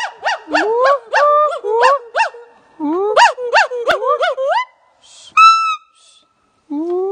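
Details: A male white-browed gibbon, described as very happy, gives loud whooping calls: rapid series of rising and falling hoots that sweep upward in pitch, repeated in bursts with brief pauses, ending in a high sustained whistle-like note.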